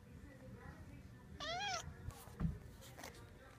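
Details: Domestic cats indoors: one clear rising-falling meow with bright harmonics lasting about half a second, followed by scattered knocks and shuffling noises in a small room.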